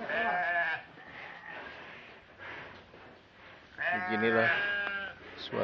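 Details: Cattle fattened for 204 days for a Qurban project, calling in a farm pen during weighing; two harmonic, nasal calls, one at the start and one near the end, with a person talking between them.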